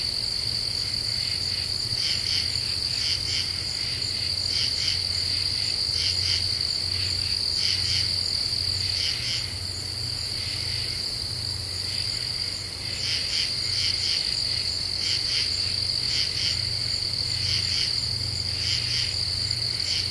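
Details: Common true katydids calling after dark in deciduous woods of the Ozarks, eastern U.S., late July 2013: repeated clusters of harsh, scratchy chirps roughly every second, layered over an unbroken shrill insect tone and low background hum.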